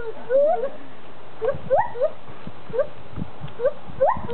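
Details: Two zoo gibbons hoot for a crowd: short, rising whooping notes repeated in quick bursts over a low background rumble.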